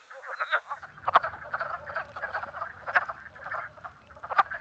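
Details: Chorus of wood frogs played back for a frog-monitoring training quiz, with many overlapping hoarse clucking croaks, a few louder sharp notes standing out, and a faint low rumble beneath.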